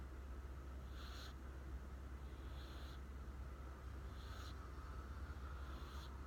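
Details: Sleeping American Shorthair cat Riku snores quietly: four soft, rushing breath sounds spaced about one and a half seconds apart, hushed and hissy against a persistent low hum.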